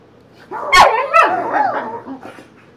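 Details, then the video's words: Boxer dogs Emma and Wyatt play fighting; one sharp bark, then a second, followed by a drawn-out wavering growl-moan that fades over about a second. French speech can be heard. "Boxing boxer"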